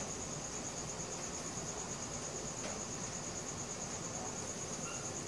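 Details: High, rapidly pulsed cricket trill at night, recorded on a Samsung Galaxy S4, holding steady from start to finish over a low rustling hiss of ambient noise.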